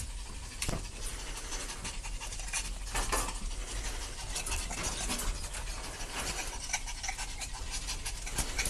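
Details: Several puppies at play, their rapid breathy panting running almost continuously, broken by scratchy rustling bursts and scuffles as they tumble together; no other animals or voices stand out.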